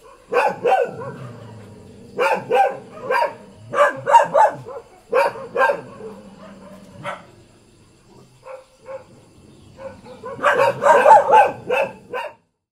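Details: Domestic village dog in Thailand barking in clipped, rough bursts, fading to a few quieter barks, then a final loud flurry of fast barking before stopping.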